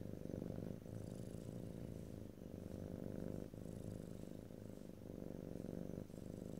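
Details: Domestic cat purr captured close up in stereo, no talking: rhythmic low rumble rising and falling with each breath, cycles of roughly one to one and a half seconds, soft hiss of air in the background.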